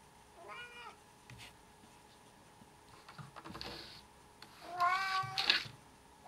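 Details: A house cat meows twice: one brief meow near the start, then a louder, strained meow later on. Scattered clicks and tapping noises fall in between, over a constant faint hum.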